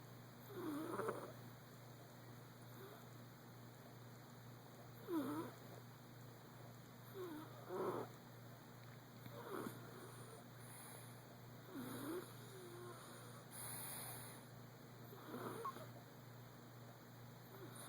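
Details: A male Persian cat snores softly in his sleep while dreaming, with breathy, rasping pulls every few seconds at an uneven pace.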